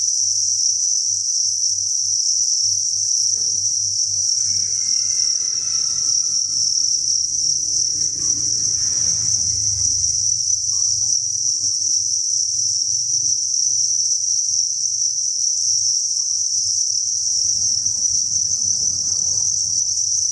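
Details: Thousands of crickets chirping together inside a cricket breeding farm, a dense, steady, high-pitched ringing trill without pause, with faint low rumbling and soft shuffling beneath.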